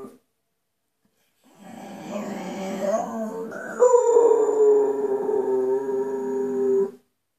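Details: Bull Terrier "singing" indoors: after a short silence, a wavering low howl builds, then jumps to a loud, sustained, slightly falling tonal howl held for about three seconds before stopping abruptly.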